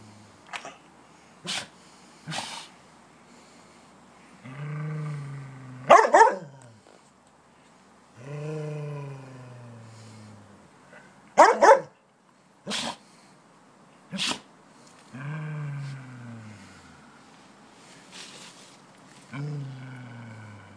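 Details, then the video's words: A Samoyed dog snarling while guarding his bone as the person filming approaches, paranoid when people enter his space while eating: low rumbling growls rising into harsh snarls, several in a row, with sharp clicks and snaps between. "Samoyed Dog Viciously Snarls as Cameraman Approaches his Bo"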